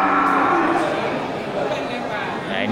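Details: Cattle, local bulls ready for slaughter, at the Geulumpang Payong livestock market on 8 May 2021; a low, harmonic moo opens the moment, buried in busy crowd chatter and nearby speech.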